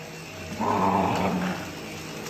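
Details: Border Collie named Ivy going after the vacuum cleaner, letting out a harsh growl of about one second over the constant whine and hum of the running machine.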